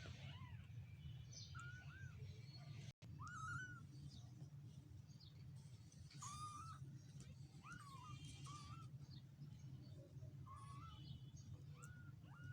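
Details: One-week-old kittens mewing: short, thin, arched cries repeated several times at irregular intervals, some rising then falling, over a steady low hum.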